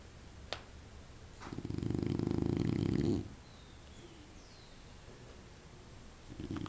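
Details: Sleeping pet dog Candy gives a single deep, buzzing snore lasting under two seconds, a rough low rattle that stops abruptly, with quiet room tone and faint clicks before and after.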